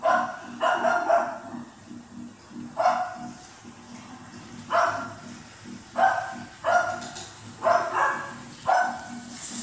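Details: Female Cocker Spaniel puppy responding to the TV with repeated short barks, single and in quick pairs, roughly every second or two, against a constant low hum of television sound in the room.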